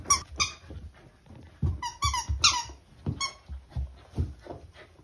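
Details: A Corgi playing with a fish-shaped taiyaki squeaky toy indoors: repeated bright, harmonic squeaks in quick bursts, interspersed with low thumps and chewing or scuffling noises.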